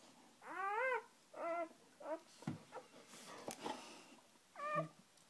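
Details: Birth of a dog litter, the mother with her first three puppies just born; quieter, wavering harmonic whines in short bursts separated by rustling and faint clicks, with a low hum in the room.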